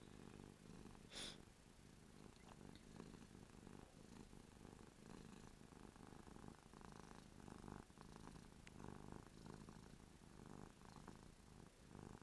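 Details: Ruby the cat, drooling because she is happy, gives a long steady purr. The deep rumble rises and falls with each breath, with a sharp click early on and a few soft rustles.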